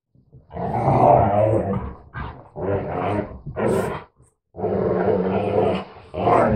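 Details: Two mixed-breed dogs, a retriever/Labrador mix and a husky/Labrador mix, 'talking' to each other: loud, drawn-out moaning growls with rich harmonics, in four sustained bursts about a second long separated by short pauses.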